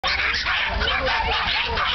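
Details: Many excited Norfolk Terriers eager to race at an annual Dutch breed-club racing meeting: a dense, continuous jumble of overlapping yips and barks with no gaps, mixed with human voices.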